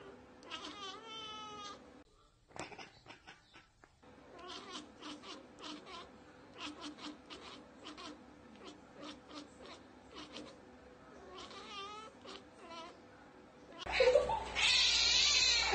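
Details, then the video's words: Domestic cat chattering at a bird it cannot get to: bursts of fast, staccato clicking ekekeke pulses repeat for about fourteen seconds with short pauses, ending in a loud burst of noise. "Cats Ekekekeke Compilation - Cats chattering at birds!"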